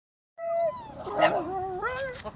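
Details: Dog at a dog park in Dunedin howling along with a person: a clear tonal howl that starts steady, then wavers and bends downward and up again, with a faint second voice overlapping.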